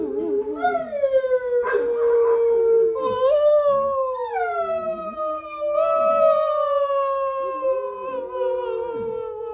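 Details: Weekend howling from a Basset hound: rising then slowly falling drawn-out wails with rich overtones, voice sliding down in pitch over several seconds, punctuated by brief yips and breathy breaks between howls.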